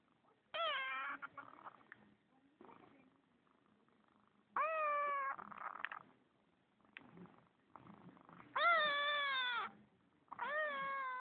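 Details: Spoiled pet kitten named Darcy answering its owner indoors with its own way of meowing: four loud, drawn-out meows about one second each, harmonics bending downward, spaced roughly four seconds apart, with soft speech and rustling in the gaps.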